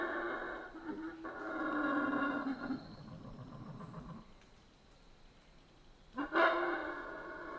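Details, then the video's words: Howler monkeys in the Central American rainforest: a deep, rasping roar holds steady for about four seconds, fades to near quiet, then a short, loud burst of roaring breaks out near the end. "Rainforest Howler Monkeys Sounds"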